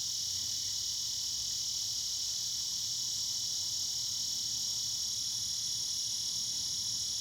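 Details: In the evening, a cicada sings a steady, high, hissing drone that carries on without a break.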